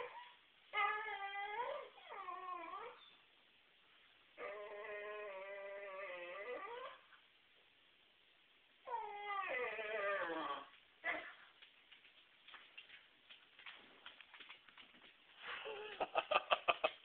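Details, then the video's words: Whippet kept away from the trash can, whining and howling indoors: long harmonic wails, each bending down then up, in three drawn-out bouts, followed by short yelps and rapid clicking near the end. "No trash can for whippet"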